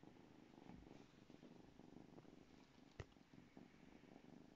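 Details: Two-month-old female Savannah kitten purring while she plays with her toy mouse; a soft, steady low rumble runs throughout, with a brief sharp tap near the third second and faint rustling from the play.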